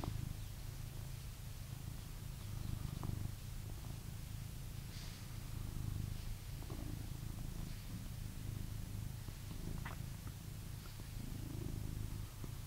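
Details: Purring from a blue British Shorthair cat kept indoors in England: a continuous deep vibrating rumble with gentle swells in loudness, plus faint scattered clicks and rustles.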